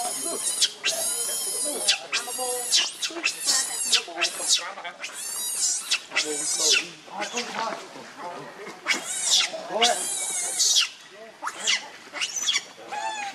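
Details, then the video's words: Angry monkey Rainbow defending Lucie from Kachoy, giving a rapid series of shrill, high-pitched screeches, many in close succession and some sustained, with short pauses between bursts throughout. "Rainbow Very Angry To Protect Lucie From Kachoy"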